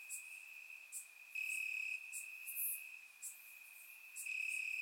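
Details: Night chorus of crickets in summer grass, Bulgaria, captured in surround sound: an unbroken shrill trill that rises in loudness for stretches of about a second, while sharper high ticks from other insects punctuate it.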